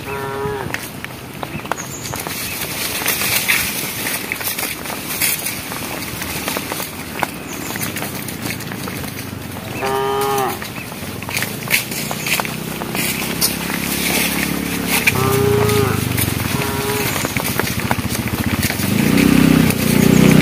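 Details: Herd of cows on a project road calling the herd: short moos scattered through the stretch, one near the start, one midway, a pair later, amid busy clattering and rising rumbling noise toward the end.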